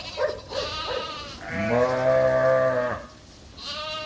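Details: Suffolk lamb bleating in a barn where escaped lambs from separate groups got mixed together; one long, loud, steady harmonic bleat lasting over a second, with shorter fainter bleats from other lambs before and after.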